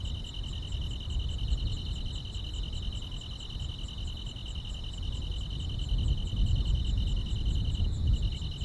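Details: Summer-night grass insects in the countryside keep up an unbroken, finely pulsed high trill, joined by faint quick ticks higher up, while deep rumbling noise swells underneath.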